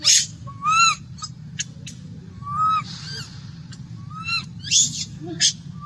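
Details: Young monkey craving milk cries out in short whimpering wails, each a clear harmonic note that bends up and down, interspersed with sharp clicks and brief hissy squeals over a low background hum.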